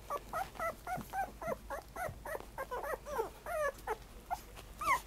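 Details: Black and tan puppy giving a quick string of short, bouncing whines and yelps, each rising then dropping, about three per second, fading into scattered cries.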